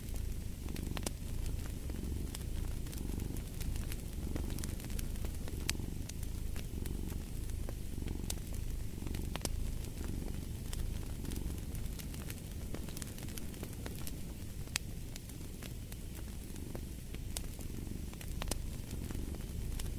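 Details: A cat purrs without pause, its low vibrating drone swelling and easing with each breath, about once a second, while a fireplace crackles and pops throughout.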